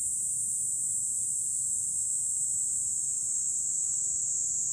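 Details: Fukuoka, Japan, July: from a city-view hilltop, a chorus of cicadas pours out one constant, shrill, high buzzing drone without pauses, a faint low wind rustle underneath.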